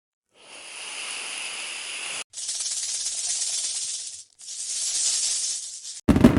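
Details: Snake hissing: three long, breathy hisses of about two seconds each, steady and airy with short breaks between, followed by a brief louder sound at the end.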